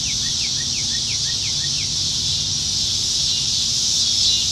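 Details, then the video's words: Nebraska cicadas in the trees on a July 2019 summer evening give an unbroken shrill buzz. A bird adds a quick series of thin, falling chirps in the opening two seconds. "Summertime Evenings in Nebraska - Cicadas"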